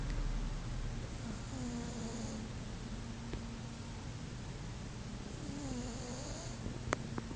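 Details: Sleeping domestic cat snoring indoors: low, rumbling breaths with two drawn-out nasal snores roughly four seconds apart, over a steady low hum, with a few faint sharp clicks near the end.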